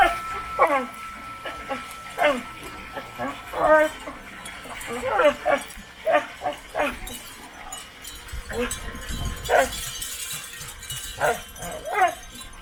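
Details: Pet dog scratching its own back while letting out silly noises: repeated short whimpery yips and moans, some falling in pitch, scattered irregularly, with a low rustling thump partway through.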